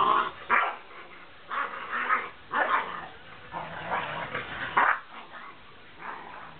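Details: Two dogs, a big white Malamute and a small brown Puggle, playing together: bursts of rough yips, barks and growly noises every second or so, irregular, with quiet gaps between.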